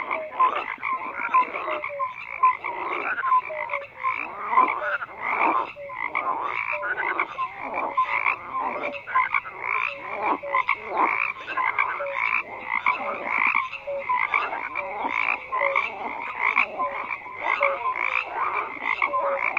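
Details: An unbroken frog chorus of rasping, repeated croaks from numerous callers, mixed with brief tonal chirps recurring every second or two over a steady background of calls.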